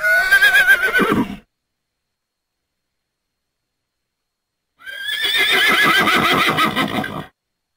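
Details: Thoroughbred horse whinnying: a short quavering neigh that falls in pitch, then silence for over three seconds, then a longer, vibrating whinny of about 2.5 seconds with a rapid tremolo. No other sounds.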